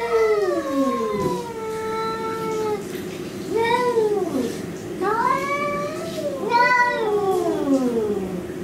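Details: Pet cats fighting an intruder cat, loud drawn-out caterwauling with long falling wails and repeated arched rising-falling yowls, one cat answering another in tense back-and-forth.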